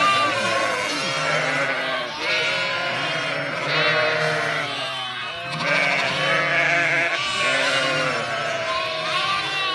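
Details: Sheep flock at Kangal, Sinop as lambs reunite with their mothers, a dense chorus of quavering bleats from several animals, some deep and drawn out, others higher and shorter, with almost no pause.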